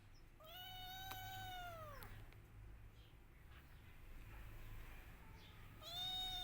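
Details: A kitten missing its mother gives one long, strained meow that bends down at the end, then after a few seconds of low rumbling background a second cry begins, harmonics rising sharply.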